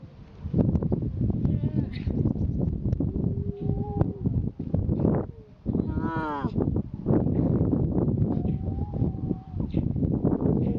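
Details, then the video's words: Grey seal pup wailing: several brief, wavering, harmonic cries, the loudest a bending, quavering wail midway, rising over a dense bed of low rumbling and thumping background noise. "Grey seal pup wailing"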